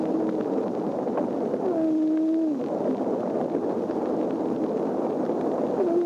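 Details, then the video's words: Humpback whale song from March 7th, 1949, on a Woods Hole Oceanographic Institution disc, possibly the earliest preserved recording of the species singing: faint tonal moans, some bending downward, half-buried in constant heavy hiss. "According to scientists at WHOI, this is definitely a humpback whale, and it may be the earliest preserved recording of humpback whale songs."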